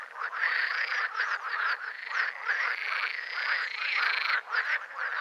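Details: Green frogs (Pelophylax) call together in a dense, rattling chorus of overlapping croaks and quacking notes.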